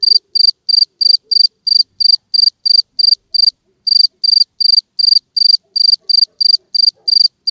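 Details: Two-spotted cricket giving a high, ringing series of short, even chirps, roughly three per second. The run breaks off once for a moment before continuing, in a quiet setting.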